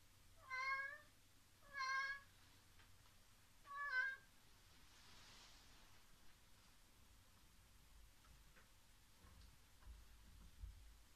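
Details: Domestic cat, named Seven or Eight, one of two pet cats playing indoors after a heavy door was forced open; three clear harmonic meows at roughly one to two second intervals, then quiet room tone.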